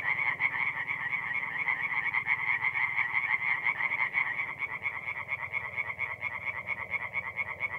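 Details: Chorus of singing tree frogs by night at a forest pond, North-East Italy, mid-April; fast repeated croaking pulses from many frogs blend into a continuous rattling drone, slightly softer toward the end.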